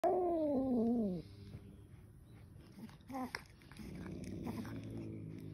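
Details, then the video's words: Angry kitten giving one short, loud, falling yowl with strained harmonics that lasts about a second, followed by quiet indoor rustling and a few soft knocks. "Angry kitten"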